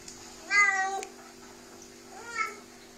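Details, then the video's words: Sphynx cat indoors, answering when told to say thank you in Russian: two short meows, the first louder and slightly falling, the second softer and rising, half a second apart with a steady electrical hum behind. "Talking cat sphinx"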